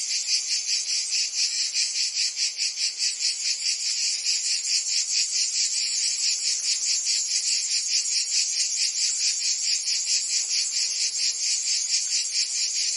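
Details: Cicadas singing in summer in Provence, France: a dense, shrill, high buzzing chorus that throbs steadily a little more than twice per second, unbroken for the whole stretch, with no other sounds.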